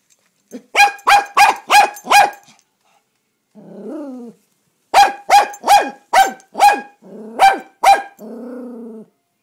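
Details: Toi, a dog, barks at the mail man in rapid runs of five to six sharp barks, a low grumbling growl in the pause between runs, then a closing whine.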